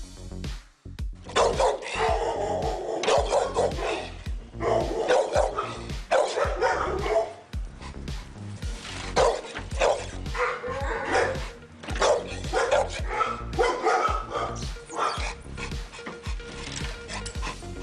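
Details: A pit bull barks in deep, punchy bursts, repeated in quick runs, with music playing underneath.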